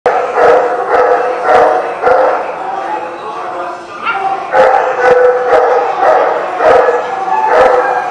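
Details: Dogs barking at a dog facility, a dense run of harsh, mid-pitched barks repeated nearly twice a second with a brief lull near the middle, several dogs overlapping.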